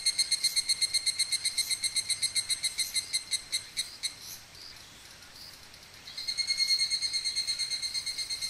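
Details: Higurashi cicada recorded in Okumikawa, Japan: a bright, ringing metallic trill of rapid pulses, about four per second, fading mid-clip, then a second, louder, nearer voice rising in and continuing the pulsed chorus.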